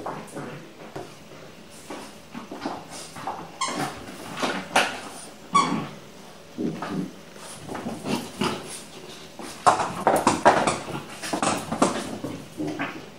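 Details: Pixel, a small French Bulldog alone with a new toy and attacking it, gives rough growls and snorts in uneven bursts, mixed with squeaks of the toy and scuffling indoors.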